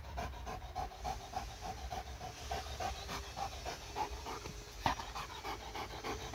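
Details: Dog in the middle of laser-pointer play, breathing in soft, rapid pants that come in a loose, uneven rhythm over several seconds, with a faint low hum underneath.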